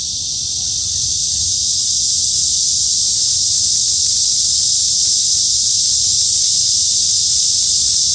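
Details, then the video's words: Cicada chorus in a midsummer forest, Hanbat Arboretum, Daejeon, South Korea: an intense high-pitched electric buzz swelling slightly in the first second, then sustained evenly. "한여름 숲속 매미소리"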